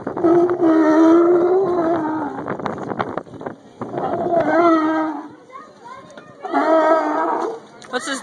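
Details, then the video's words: Annoyed sea lions, bothered by one pesky member, give three long, strongly harmonic honking bellows, each about one to two seconds, with quieter gaps and scattered short grunts between them. "angry sea lions"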